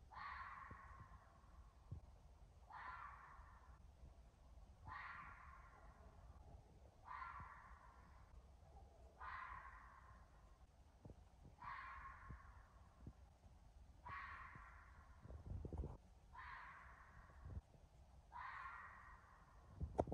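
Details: A red fox (Vulpes vulpes) in woods at night, close to midnight, heard from a porch, gives a series of hoarse, rasping screams likened to a woman screaming, one roughly every two seconds.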